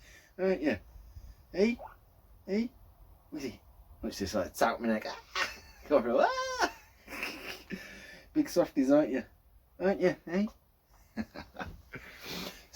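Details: Two pet guinea pigs, Laurel and Hardy, indoors just before being fed carrots: short squeaky wheeks repeat about once a second, with a longer rising, harmonic squeal near the middle, while a man talks over them.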